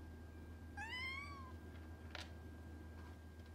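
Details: Norwegian Forest Cat indoors, closing the distance with a kitten: one clear, drawn-out meow that rises and then levels off, followed by a short click, over a steady low indoor hum.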